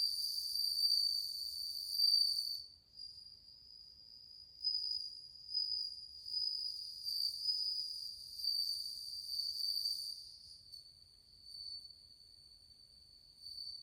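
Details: Many bell crickets singing in August 2020, their cool-sounding tones forming a bright, high ringing trill that swells and fades in overlapping bursts every second or two, with faint upper overtones and no other sounds.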